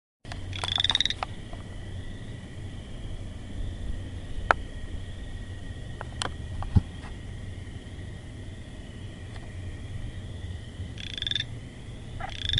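Frogs give short, buzzy, high-pitched calls in bursts over a steady night chorus and low rumble.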